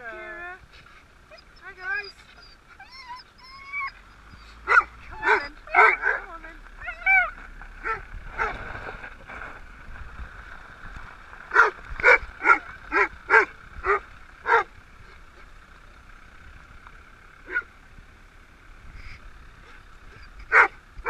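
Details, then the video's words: Dogs greeting their owners on being picked up after 3.5 weeks apart: high rising whines and whimpers at first, then a run of sharp, loud barks repeated about twice a second, with excited human voices in the background. "Doggie Rerunion"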